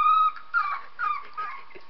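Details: Pet dog whimpering while listening to a recording of a 3-week-old puppy: four short, high, thin whines with steady pitch, the first longest, fading gradually in loudness.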